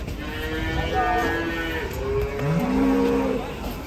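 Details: A group of cattle coming down from a truck, with a moo that rises and falls in low harmonic tones over nearly four seconds, ending in a deeper, louder bellow near the close. Faint voices sit in the background.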